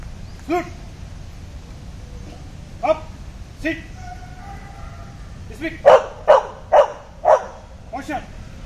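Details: Labrador dog in police dog training barks in scattered single woofs, then a quick run of five loud barks about half a second apart, with a faint murmur of voices underneath.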